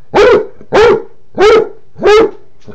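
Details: Basset Hound indoors barking because his water dish is empty, letting his owners know he wants it filled: four loud, evenly spaced barks about two-thirds of a second apart, each rough and full, then quiet.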